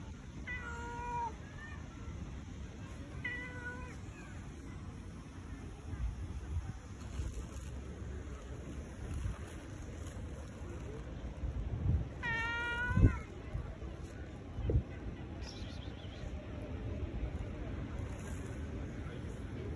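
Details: Tabby cat wanting affection: two short wavering meows early on, then a longer, louder quavering meow near the middle, over steady low rumbling background noise with a few knocks.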